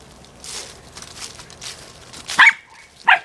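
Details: Female corgi playing with her soccer ball: soft scuffling and thumps of play, then two sharp, high barks spaced under a second apart near the end.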